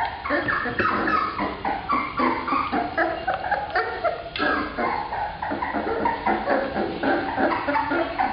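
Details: Several black Labrador Retriever puppies, all female, call together in a dense, unbroken tangle of thin whining cries and rapid yelps, with no pauses across the stretch.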